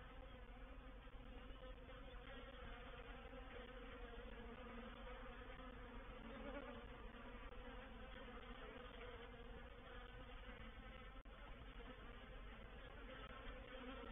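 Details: Dense massed buzzing from a reproductive swarm of honey bees moving into a bait hive, Painted Peacock Manor, 04/07/21. The drone stays steady and full, with a slight swell midway and one short click late on.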